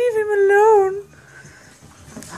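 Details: Corgi playing with a puppy, a single long, clear, high whining howl that wavers slightly, lasts about a second, and then stops, followed by quiet room sound.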